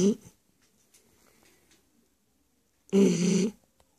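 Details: Shar Pei named Stefani snoring: a faint snort at the start, a long hush, then one loud rasping, throaty snore lasting about half a second near the end, in a quiet small room.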